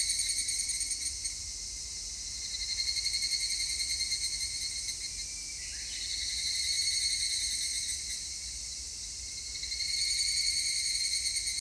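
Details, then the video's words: Evening cicada (higurashi) recorded on 3 August 2021: a high, shimmering, rapidly pulsed ringing chorus held almost continuously, swelling and fading in slow waves every few seconds, with a faint low background rumble. "セミの鳴き声 ひぐらし"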